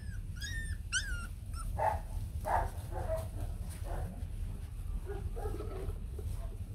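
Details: White long-haired Bac Ha puppies, a native Vietnamese dog breed, with their mother: thin, high wavering whines and squeals in quick bursts at first, then lower short yelping cries over a steady low rumble.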